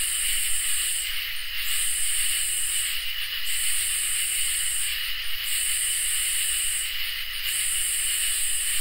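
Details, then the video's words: On a peaceful summer night, crickets and katydids call together. A constant thin trill holds steady while harsh, hissing high bursts switch on and off about every two seconds, each separated by a brief pause. "Crickets and Katydids in Summer | Ambient Night Chorus"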